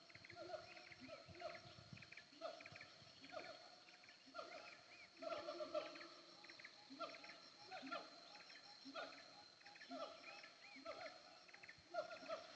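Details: Siamang on a hillside at Bukit Kalowan, between Nagari Paru and Nagari Durian Gadang, calling from afar: rhythmic falling hoots repeating roughly twice a second over a persistent high insect drone and background hiss.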